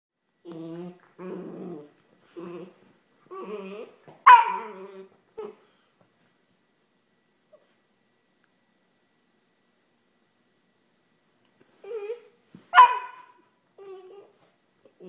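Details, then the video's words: Whippet puppy named George, indoors, trying to sleep: a series of low harmonic growls in short bursts, then a sharp yelping bark near four seconds, quiet, and another bark-growl burst near thirteen seconds. "WHIPPET PUPPY TRYING TO SLEEP!"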